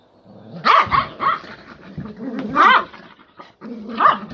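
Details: Two 18-year-old Miniature Poodle/Maltese sister dogs fighting over salami: short, harsh snarling outbursts with sharp yappy peaks around 0.7, 1.3, 2.7 and 4 seconds, over a low rumbling growl between bursts.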